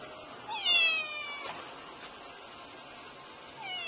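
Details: Kitten meowing: one faint, falling meow with layered overtones near the start, a short second meow at the very end, quiet room noise between.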